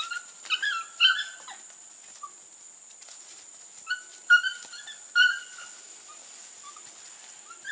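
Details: Young Border Collie pups, 6 to 8 weeks old, meeting goats for the first time in 2019; scattered thin, squeaky yips and short whines arrive in loose clusters roughly every second, separated by quieter stretches.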